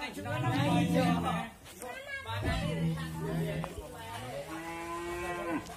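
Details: An agitated sacrificial bull raging, giving several low lowing bellows followed by a longer steady moo, with people talking nearby.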